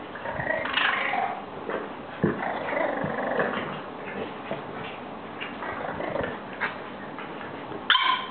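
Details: A female French bulldog grumbles, whines and yips in a long, excited run of greeting noises as she welcomes two new dog friends.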